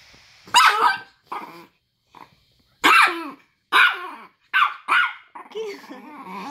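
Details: Grumpy nine-year-old Chihuahua that does not want to be touched, giving a string of short, harsh, snarling barks and growls in bursts about a second apart, with soft grumbling at the end, indoors.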